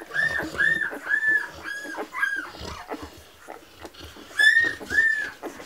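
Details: Nine-day-old Labrador Retriever puppies of a litter born 22 February 2017 give shrill arched whimpers, short squeals repeated about twice a second, then a quieter pause before another pair of loud whines.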